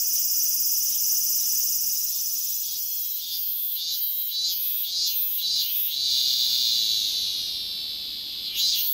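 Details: Singing cicada: a loud, shrill high buzz that throbs in short surges near the middle, swelling and fading, then a fresh burst at the end.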